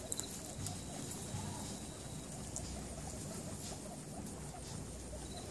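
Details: Guinea pigs: Pippa, a mother, with her baby pups Petal, Pebbles, Precious and Peatie, kept as pets. Faint, rapid, low chattering murmurs repeat throughout under a steady rustling, scratchy background, with a few brief clicks.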